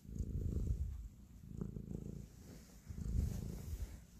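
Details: Affectionate house cat purring as it kneads; close, loud low rumble with three strong breath cycles, grainy and buzzing, quieter dips between them.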